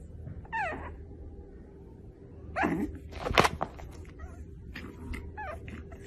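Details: Pug puppies playing indoors: short falling whines come in scattered bursts, with a louder rough yelp in the middle and scuffling noises around it, over a low background hum.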